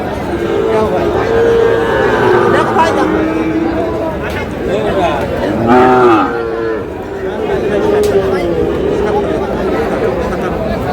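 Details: Sahiwal bull calves traded at a Comilla cattle market in Bangladesh, 31 March: a short arched moo rises and drops midway, with fainter lowing at either side and a constant hum of buyers' voices.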